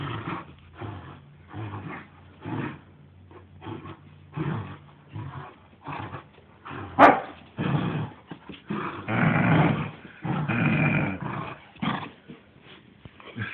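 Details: Saint Bernard growling while playing tug with its owner: low rumbling growls in uneven bursts, denser and louder in the second half, with one sharp click midway.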